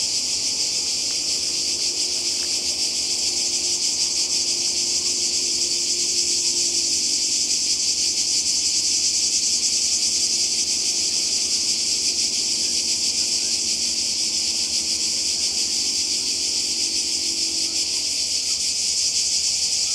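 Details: Cicadas calling in summer by the sea in Croatia: a dense, continuous buzzing hiss held high and steady throughout, with faint low murmurs beneath.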